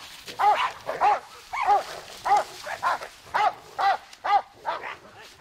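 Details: Bowser, a hard-biting, old-fashioned Bullmastiff working dog, during bite work, gives a run of about nine deep, harsh barks, one roughly every half second, with short quiet gaps between them.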